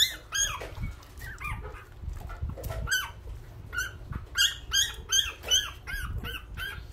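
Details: Several newborn puppies, hungry, cry in quick overlapping squeals, each a sharp high rising-and-falling yelp, coming in bursts about two or three per second, with faint shuffling below.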